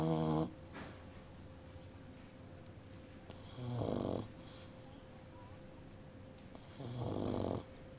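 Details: A 16-day-old Pug puppy, dreaming, is heard with the mother snoring in rough, rattling bursts about every three and a half seconds, with quiet breathing between.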